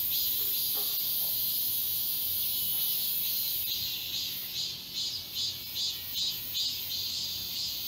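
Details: Distant chorus of cicadas in the Galsan Park forest in Seoul in summer. A high hissing drone dominates, with soft pulsing throbs at a steady rhythm emerging in the latter half.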